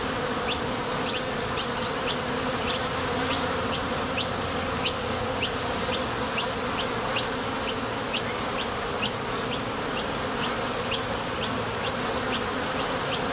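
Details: Foraging honey bees crowd the entrance of a Top Bar Hive, heading out for nectar and returning, producing an unbroken buzzing drone dotted with frequent quick high ticks from bees arriving and departing.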